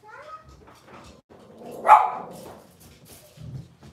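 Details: Puppies from Robin's Cavalier King Charles Spaniel litter on a kitchen camera livestream. A short rising whine opens, then one sharp bark-like yelp near the middle, followed by quieter shuffling and soft murmurs indoors.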